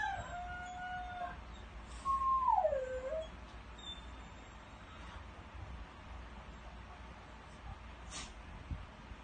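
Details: A dog named Bela crows like a rooster. A held tonal note fades out, then a short, loud howl swoops downward and ends with a small upturn. Low background noise and a few faint clicks follow.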